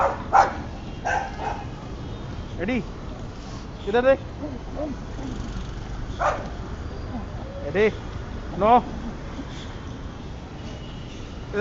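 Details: White Boxer dog out in Dada Dadi park in July, letting out several loud, full barks at irregular intervals while people talk and call to it nearby.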